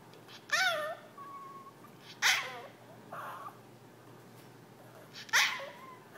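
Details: Jack, a pet Yorkshire terrier, begs his owners to play indoors: three sharp, high yapping barks with bending harmonic tones, spaced about two seconds apart, plus a softer whine-like note between them in a quiet room.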